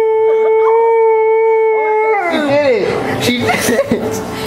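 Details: Bullmastiff howling soulfully along as Happy Birthday is sung before a birthday cake is cut; a long, steady, tonal howl that slides downward, then mixes with loud singing voices and room noise.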